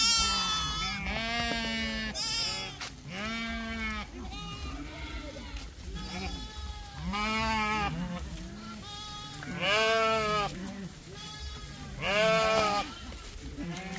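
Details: A lamb being played with by a child bleats repeatedly, drawn-out quavering cries about every two seconds, some louder and higher, with a child's voice and soft background noise between them.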